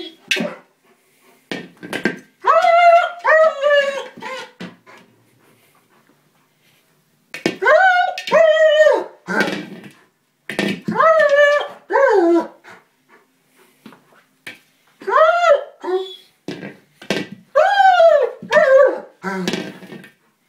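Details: German Shepherd attacking a small buoy, upset that he cannot puncture it, inside a room. Groups of arching, falling whines repeat across the recording with short quiet pauses, along with occasional thumps and rustles of the toy.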